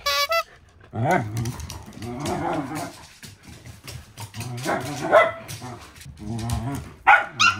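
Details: Indoor play-fight between two Shetland Sheepdog sisters, a blue merle three-year-old female and a young bi-black sibling; rising and falling harmonic growl-whines and sharp yips come in clusters, with higher squeals near the start and end.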